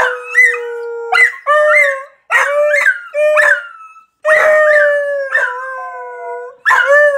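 A beagle gives a series of long, wavering baying howls with sharp yelping onsets.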